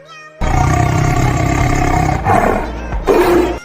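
A tiger gives a deep, rumbling roar that holds steady for nearly two seconds, then breaks into rougher growls.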